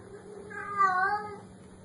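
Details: Black kitten giving a single soft, drawn-out meow lasting under a second, rising slightly then easing down, over a steady low electrical hum.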